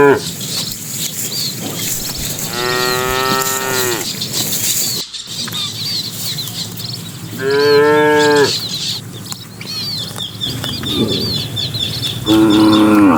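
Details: Herd of dozens of cattle entering the pen at evening, driven by a herder; three separate moos spaced several seconds apart, each a short harmonic bellow, over constant chirping birds and rustling.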